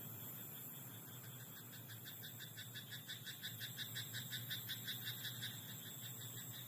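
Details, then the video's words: Night chorus from a rice-field frog: pulsed rattling croaks repeated quickly, about three per second, starting quiet and growing steadily louder through the second half, set against a low continuous hum. "田んぼのカエル "Croaking frog in rice paddy at night""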